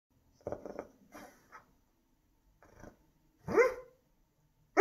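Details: Dog barking in its sleep: soft muffled woofs and breathy yips, a few short bursts scattered over the seconds, then one louder rising whine-bark with a sharp onset at the very end.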